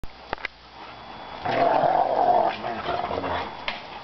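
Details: Two Rottweilers irritating each other: rough, snarling growls swell for about a second in the middle, then fade into lower grumbling, with a couple of sharp knocks near the start.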